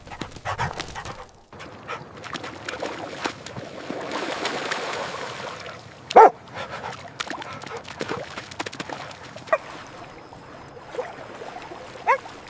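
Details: Puppies at playtime on fresh green grass, running, jumping and play-fighting; one short, sharp, high yip stands out midway, with a couple of fainter yelps later, over steady rustling and scuffling of paws on grass.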